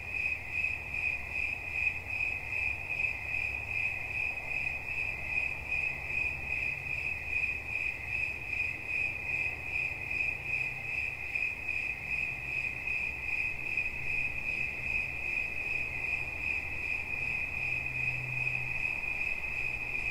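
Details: Continuous cricket song: shrill, high-pitched pulses repeating quickly and evenly, roughly 2.5 per second throughout, over a quiet low rumble.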